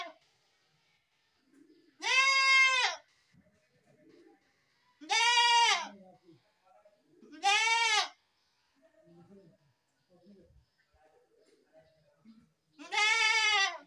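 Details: Goat bleating four times at uneven intervals of roughly two to five seconds, each cry about a second long, harmonic and arched in pitch, with soft murmurs and rustles between calls.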